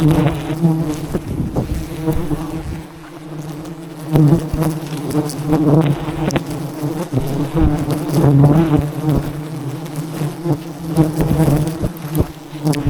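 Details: Wild honey bees swarming at a massive nest as honey hunters approach and harvest it; a dense, steady low drone with stacked harmonic bands, swelling and fading in loudness, with scattered clicks and knocks throughout.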